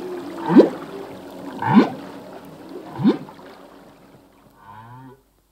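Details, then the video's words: Singing male humpback whale underwater: three quick upsweeping whoops about a second apart, then a brief low buzzing moan before silence. "Whale song - full length humpback whale song"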